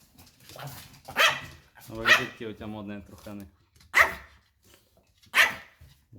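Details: White Pomeranian at home barking loudly in protest as its owners get ready to leave; sharp single barks spaced about one to two seconds apart, with a woman's voice speaking between them.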